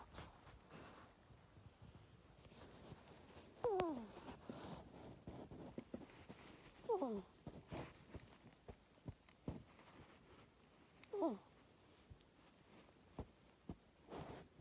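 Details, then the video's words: Female ferret dozing in a bedroom cage, kept under watch for an ear tumor; three faint, short descending squeaks scattered over the stretch, separated by soft breathing-like rustles and small clicks indoors. "compilation of my ferret snoring"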